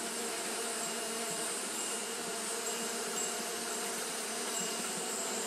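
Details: Hot-day fanning by Japanese honey bees makes a constant, dense buzzing drone at one even level, without breaks, accompanied by a faint high steady hiss.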